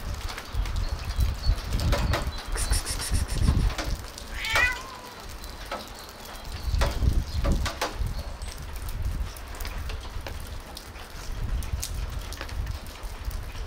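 A tabby cat gives a short, rising, nasal meow amid low rumbling and scattered clicks.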